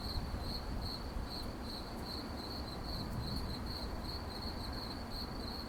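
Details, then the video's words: Crickets calling at night with a thin, high, rhythmic chirping in quick regular pulses, plus a few faint clicks and a continuous low background rumble. "Crickets at night Sound Effect"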